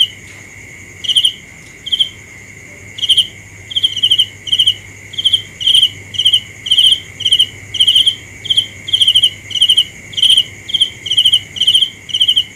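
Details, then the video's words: Cricket starts with a few scattered chirps, then settles into a regular series of bright pulsed chirps about every half second, over a constant thin high drone. "The best sounds of Cricket 《 Suab Kab Ciliv Quaj Zoo Heev》 ( ສຽງແມງຈີ່ນາຍຮ້ອງດີໆ )"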